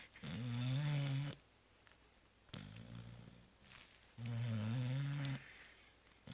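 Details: Sleeping cat Zoé, worn out after Christmas Eve and Christmas brunch, snores loudly indoors: two deep, buzzing, drawn-out inhalations about four seconds apart with a quieter breath between.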